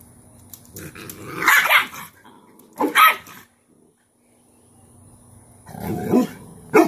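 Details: Cane Corso Cashmere putting her most dominant female puppy into submission as discipline. Two loud gruff barks come early, then a pause, then a low growling stretch that ends in another sharp burst.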